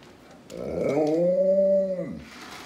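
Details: An Alaskan Malamute in a kitchen, howling while a little girl vacuums with a toy vacuum, gives a drawn-out, wavering howl that rises, holds steady, then drops away.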